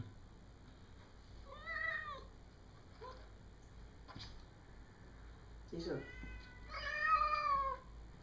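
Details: A cat looking into a dining area from outside, wanting to jump in the window, meows twice: a short rising-falling meow, then a longer drawn-out one after a pause. There are faint clicks and room hum in between.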